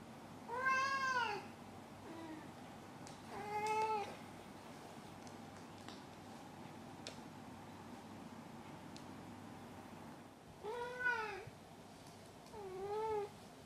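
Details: Maru, a house cat, meows indoors: four arched, harmonic meows spread over fourteen seconds with a faint short squeak between the first two, long quiet gaps, and light clicks and rustling in the room.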